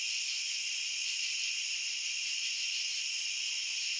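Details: Continuous cricket chorus, a dense shrill buzz in several high stacked tones, steady and even in loudness for the whole stretch, with nothing else audible.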